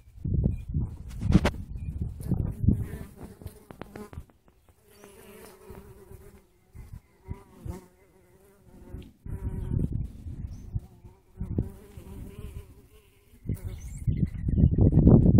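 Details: Native and honey bees digging into an artichoke flower; a steady, low droning buzz with layered humming tones swells and fades as the bees move, interrupted by heavy low rumbling bursts at the start and end.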